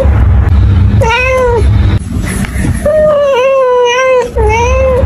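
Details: Domestic cat meows three times: a short descending meow, then a longer wavering one and a brief closing meow, against a steady low hum.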